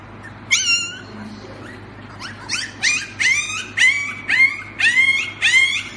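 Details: At play with a baby indoors, a Siberian Husky makes a series of about eight high, rising yelps. They come roughly twice a second and grow louder toward the end, over a low room hum.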